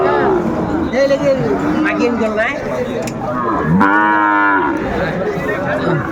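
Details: Sahiwal bull calves for sale at a Manikganj market, Bangladesh, 30 December: faint wavering calls under market chatter, then a strong, rising and falling harmonic bawl near the four-second mark, crowd noise continuing.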